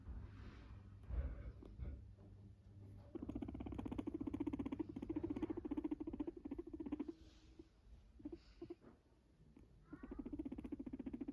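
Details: Guinea pig (Cavia porcellus), purr.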